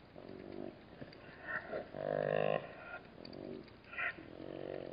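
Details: At a Namib desert waterhole, a black-backed jackal disturbed by bat-eared foxes gives a run of rough, throaty growls in uneven bursts, the longest and loudest near the middle, with short raspy notes between.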